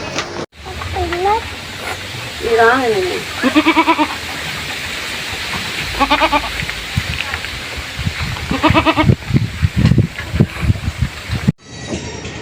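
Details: Goat bleats with a strong quavering vibrato, short wavering cries repeated at about one, three, four, six and nine seconds, with human voices and low thumps mixed in between.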